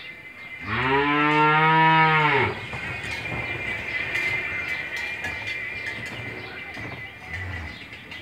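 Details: Single drawn-out, low moo from an Australian-breed cow in her second calving on a Bangladeshi farm, her one-day-old bull calf beside her; after the call, a steady high hum and background farm noise continue.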